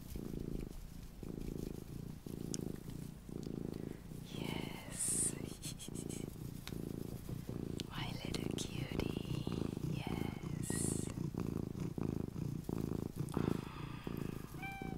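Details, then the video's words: Pet cat purring steadily with a low pulsing rumble throughout, while a person whispers softly nearby and light tapping and rustling sounds occur indoors. "my purring MINI Cat"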